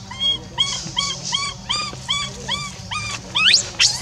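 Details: Rainbow, a monkey left alone, crying to call Libby back; a steady run of short, arched, harmonic cries, about three each second, ending with two higher sweeping squeals, over a low background hum.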